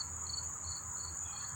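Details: Many unseen crickets chirp near Monmouth Park train station and racetrack, New Jersey, on 4 September 2023: a steady high shrill trill with softer, lower chirps repeating several times a second.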